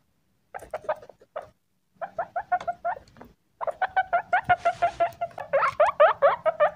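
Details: Pet male guinea pig with cucumber, giving a rapid run of short squeaky wheeks, about three per second, breaking off briefly, then resuming louder with rising, swooping notes toward the end.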